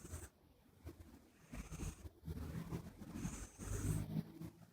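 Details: Buri, a flat-nosed Minuet kitten, snoring while asleep close up indoors, nose whistling with each breath: faint high whistles about every two seconds over soft low rumbling breaths in a quiet room.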